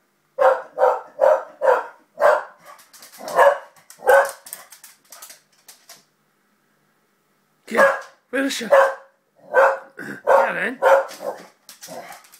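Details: Springer spaniel at play with a little girl indoors, a rapid run of sharp barks, a few seconds of silence, then another excited burst of barking mixed with faint human voices.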